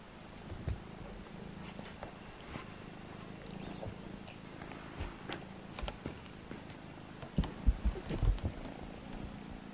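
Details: Two of Agusha's kittens, Alfonso and Amur, wrestling; a continuous low rumbling purr runs throughout, with brief bumps and scuffling clicks, growing busier near the end.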